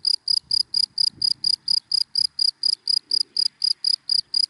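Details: Cricket in dry grass in the daytime: loud, high, pulsed chirps about four per second in a steady even train, with faint low rumbles beneath.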